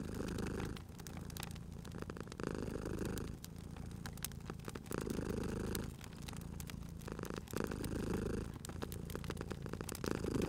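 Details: Domestic cat purring beside a crackling fireplace in a cozy spring setting, a low rumbling purr swelling in long breaths about every two to two and a half seconds, sharp crackles and pops of burning wood scattered throughout.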